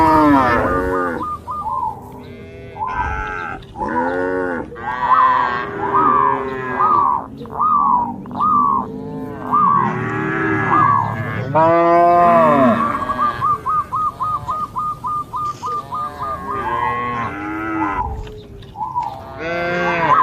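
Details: Dozens of cattle crossing a field path border in green rice paddies, bounding along with the herd. Many overlapping moos, some arching and some wavering or pulsed, sounding roughly once a second throughout.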